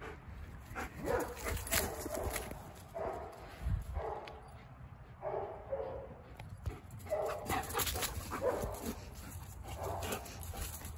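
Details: Boxer/Mastiff mix dog filmed 1 January 2023: repeated rough barks and whining bursts come in clusters across the recording, over a noisy low-frequency background with some clatter.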